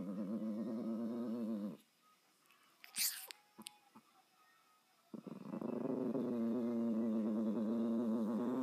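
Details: Bowie the dog growls in a low, steady, rapidly pulsing rumble, breaks off for a few seconds of near silence with a couple of sharp clicks and a brief higher noise, then resumes the same throaty growl.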